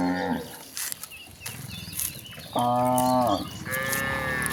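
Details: Roaming cattle on the way to a broad pasture give a steady, flat moo followed by a higher, strained one, with an earlier falling call at the start and light background hiss.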